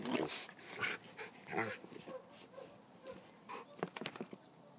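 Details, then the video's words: Dogs wrestling in play, giving short throaty growls and whimpering yips in uneven bursts roughly once a second, followed by sharp scrabbling clicks near the end. "Dog wrasslin'"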